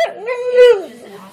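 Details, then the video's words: Talking dog answering its owners with a short whining moan that climbs, swells to a loud peak, then falls away and fades into quiet murmuring. "Funny dogs talking to owners"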